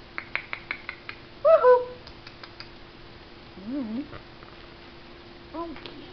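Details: A puppy playing with new toys gives short, high, wavering howls that slide up and down, after a run of light taps.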